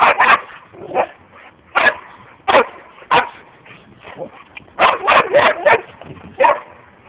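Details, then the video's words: Boxer dogs, a group of four adults and a young dog at a holiday camp playing together, giving a series of short sharp barks and yips in bursts every second or so, some quick doubled and tripled barks. "boxers 4 amis"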